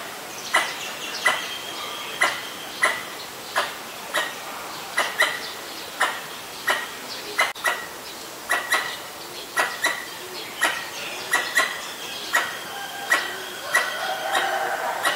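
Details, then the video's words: Alarm calling of a Pallas's squirrel reacting to danger in Ubon Ratchathani, Thailand, on 1 January 2023, filmed with a Nikon P1000: a long run of harsh, clicky chuck notes about every half second to second, with softer bird calls behind. "กระรอกร้องเมื่อมีภัย Squirrel sing when there is danger."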